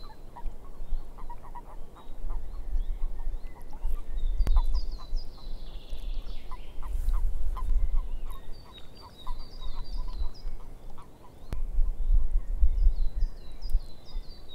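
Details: Chorus of frogs in a swamp, quick bursts of short croaks at mid pitch coming in clusters, while high, thin falling chirps sound in series and a deep rumble rises and fades.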